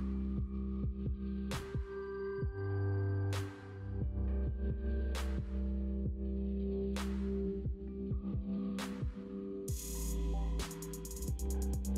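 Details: Electronic music with a throbbing bass and regular percussive beats, with no animal sound heard.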